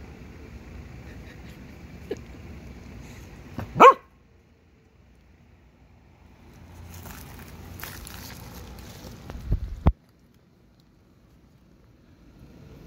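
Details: Henry, a Corgi, encountering a praying mantis: one sharp, high yelping bark near the middle, then a duller low thump-like bark several seconds later, with quiet room stillness in between.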